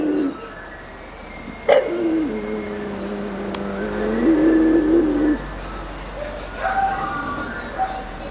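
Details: Homer the bulldog practises his howling as vehicles pass: drawn-out tonal howls waver low, then rise and hold before breaking off, over steady traffic rumble and faint high tones.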